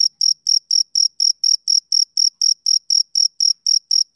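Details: Rhythmic shrill pulses from a male cricket, about four chirps each second, evenly timed in an otherwise quiet background.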